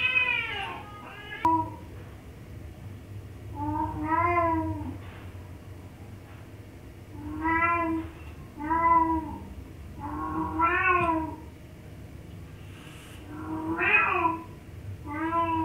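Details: Domestic cat being teased, giving a series of drawn-out, slightly arching meows, each about a second long, spaced every few seconds, with a steady low hum behind.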